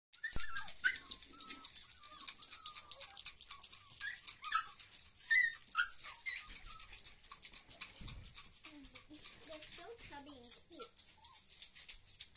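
Alaskan Malamute puppies whimper and yelp in high, wavering squeals with a hissing background.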